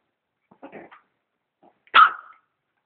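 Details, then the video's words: Dog barking at a vacuum cleaner: a soft low grumble, a pause, then one loud sharp bark that trails off, in an otherwise quiet room. "Dog barks at the vacuum cleaner"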